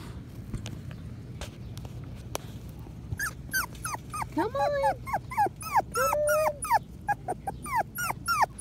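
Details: Five-week-old Patterdale Terrier puppies exploring an earth tunnel made from black PVC pipe. After a quiet start comes a rapid run of high, whiny yelps and whimpers that arch up then drop, roughly every half second, over a low steady hum.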